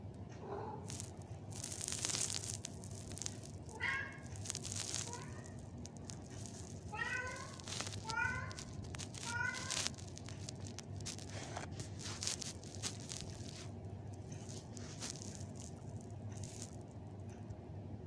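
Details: Arabian Mau cat playing with a doll indoors, giving several short meows between 4 and 10 seconds, each a brief wavering cry, mixed with human speech and handling noises throughout.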